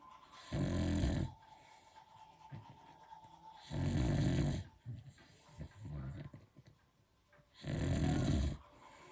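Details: Sleeping Beagle snoring loudly: three deep, rough, drawn-out snores spaced about three to four seconds apart, with soft breathing and small rustling sounds in the pauses.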